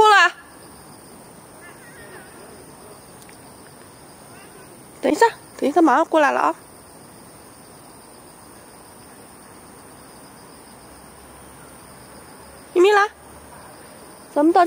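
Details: Early-morning garden walk in Beijing, August 13, 2013, with the cats Fengfeng and Huangxiaomi; scattered clear meows, a cluster of three mid-clip and others at start and end, separated by long stretches of insect buzz.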